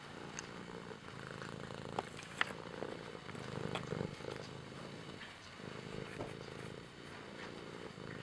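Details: Pet cat purring steadily, a low rough rumble running through the whole stretch, with a few sharp clicks and brief rustles over it.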